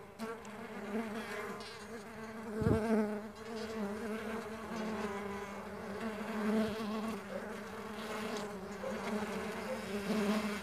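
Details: Stingless bees at a bee farm, a dense continuous buzzing hum of many wings with a steady low drone and wavering overtones, swelling and fading slightly, with a brief thump near the third second.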